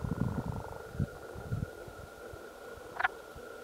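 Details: Wood frogs (Lithobates sylvaticus) calling at Cranberry Flats on 14 May 2020 give low, rattling, duck-like clucks in quick pulsed bursts.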